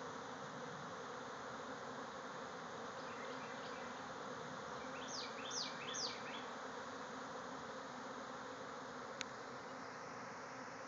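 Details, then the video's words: A swarm of bees emerging from a hive in a backyard, thousands flying about. Unbroken droning buzz, joined midway by soft bird twitters and three sharp falling bird notes, plus a single click late on. "Bees swarming out of a hive"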